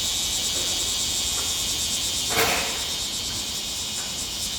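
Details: Bear cicada singing in midsummer in Japan: a dense, continuous high-pitched buzzing drone held steadily throughout, with a brief broadband knock near the middle and faint background noise.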